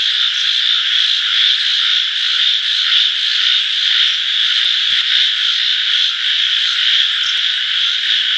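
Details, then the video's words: Frogs calling in a dense chorus: a loud, steady, high-pitched trilling wall of sound with no pauses, many overlapping voices blending into one unbroken buzz throughout. "voice of frogs"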